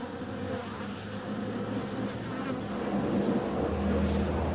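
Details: Honey bees flying out on a warm February day: a steady low droning hum with overlapping wingbeat tones that shift in pitch as individual bees pass, forming a continuous busy buzz.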